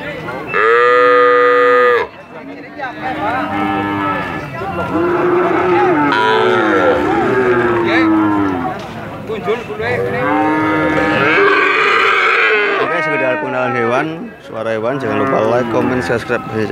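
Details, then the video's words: Drawn-out cattle moos: a loud, steady moo lasting about two seconds opens, then a long run of overlapping, wavering lowing calls from several animals continues with only brief dips. "Jangan Heran Dengar Suara Sapi Sangat Panjang Sekali"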